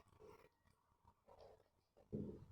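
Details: Sleeping, dreaming dog snoring indoors, recorded 26.8.24: three low, rasping breaths roughly a second apart, the final one loudest and almost growl-like.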